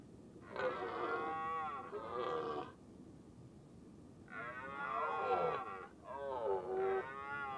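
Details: Red deer hind with a large calf during the rut, the hind tending the calf as a stag herds them uphill; four drawn-out nasal, harmonic calls, each about a second long, some bending downward at the end, separated by short pauses.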